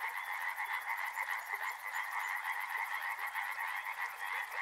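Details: A short burst of river frogs croaking in a busy, pulsing chorus, with a thin, very high repeated ticking running over the top throughout.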